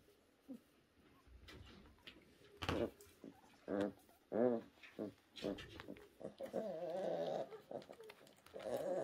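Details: Orphaned newborn brown bear cubs at the Orphan Bear Rescue Centre, rescued in 2023 after losing their mothers: a series of short pulsed bleats followed by wavering, tremulous whines, indoors.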